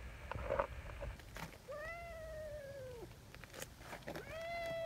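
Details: Nyahha, a tabby community cat, after a bout of seeking affection: a long, drawn-out meow that sags in pitch, then a second rising meow begins near the end, with soft rustling and handling sounds beforehand.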